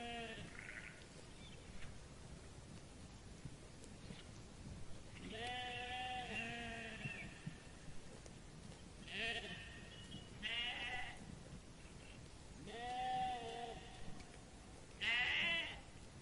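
Sheep bleating in wavering, nasal baas, several calls spaced a few seconds apart.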